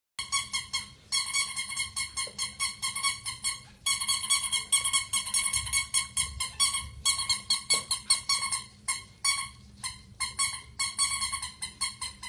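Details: Pomeranian dog indoors giving a rapid, continuous run of high-pitched, tonal yelping cries, about two or three per second, with brief pauses between bursts and a low hum underneath.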